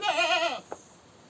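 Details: Goat screaming: a single brief, harsh, quavering bleat lasting about half a second, ending with a soft knock.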